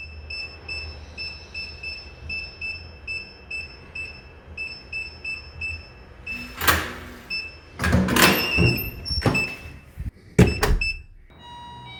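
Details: Indoor sounds without any animal: a repeated electronic beeping tone pattern like a door lock or doorbell, then loud clattering and door-like bangs.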